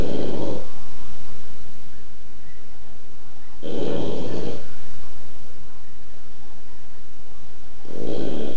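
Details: Boston Terrier snoring while asleep indoors, with another dog sleeping behind it. Three loud, rasping snores come as broad noisy bursts, spaced about four seconds apart, with quiet breathing between them.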